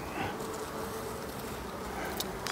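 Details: Continuous low buzzing of a honey bee colony during a late-summer hive visit on 22 September, even and unbroken, with a few sharp knocks near the end.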